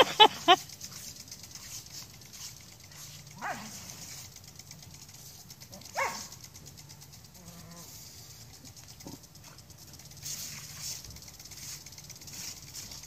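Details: A Scottie that has just moved to the country barks at a lawn sprinkler from an aerobic septic system while attacking it. A sharp bark opens the clip, then single barks follow at about 3.5 and 6 seconds, with the sprinkler's pulsing spray hissing throughout.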